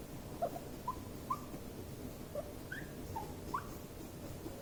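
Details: Guinea pigs under stress during an escalating confrontation: quiet, scattered, short chirping squeaks, some rising and some falling, roughly two per second over a soft hiss.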